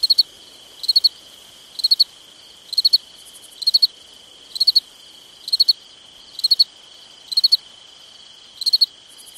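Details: Crickets at night in summer: a loud caller repeats high three-pulse chirps nearly every second, a fainter second chirper slips in between, all over a constant shrill background trill.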